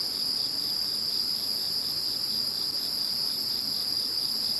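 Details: Insects chirping after Typhoon No. 21 passed, a dense steady chorus of high continuous trilling bands with faint pulsing, no pauses, no other sounds clear.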